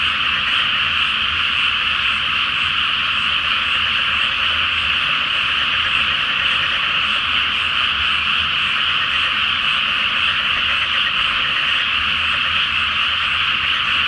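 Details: Frogs in a great night chorus from a water-covered rice paddy before planting, under a full Flower Moon: a dense, unbroken wall of overlapping croaks and trills, steady in loudness throughout, with no other clear sounds.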